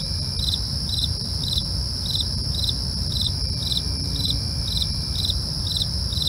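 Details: A nighttime cricket chorus: regular pulsed chirps, a little over two per second, layered on a sustained high trill, while a dull low hum fills the background.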